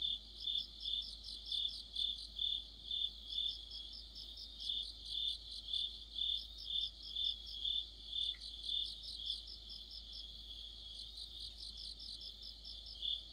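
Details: Mid-autumn chorus of crickets, sharp high chirps repeating around twice a second, the rhythm loosening at times as several singers overlap, with one brief faint click near the middle.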